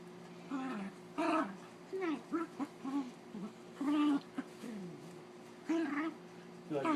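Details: Holly the dog grumbles and whines during a play fight with Zeus. Uneven bursts of throaty, wavering moans come in clusters, some drawn out and others clipped, over a low steady background hum.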